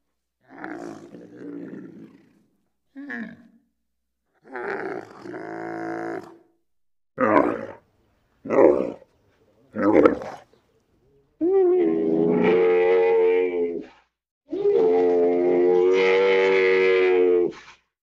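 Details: Bactrian camel vocalising, a string of short throaty grunting roars that builds into two long sustained bellows with strong harmonics and a steady tone, each lasting over two seconds.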